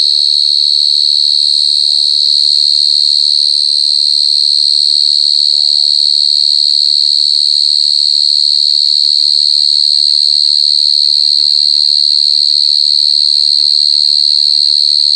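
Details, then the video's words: [['Jangkrik gangsir, a short-tailed cricket, singing super loud: an intense continuous high-pitched trill with an overtone above, with faint wavering low sounds in the first seconds.']] "Suara Jangkrik Gangsir Lagi Ngerik"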